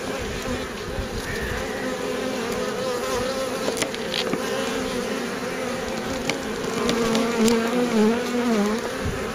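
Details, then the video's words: Honey bees at a beekeeper's hive near the end of wintering, the buzz he says viewers miss in winter; a dense, steady low hum with a rising and falling whine near the end and faint ticks. "Ça vous manque ce petit bzz, bzz, bzz, bzz, hein, le bruit des abeilles."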